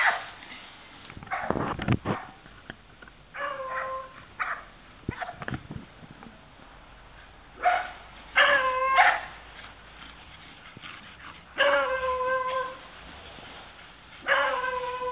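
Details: Beagle Sam Angelo gives drawn-out, tonal, ringing barks, each roughly half a second to a second long, in spaced bursts with quiet gaps between. Sharp knocks and clatter sound early on, under a faint background hiss.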